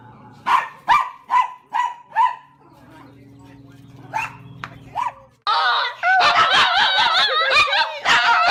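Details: Small dog's high-pitched vocalising, a row of five evenly spaced yapping barks, a low hum, then louder, wavering whiny howl-like sounds mixed with excited noises.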